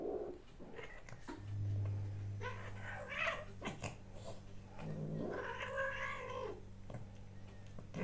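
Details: A domestic cat, recorded on 6 March 2024, gives a drawn-out, wavering yowl that swells and then fades. A steady low hum runs beneath it indoors.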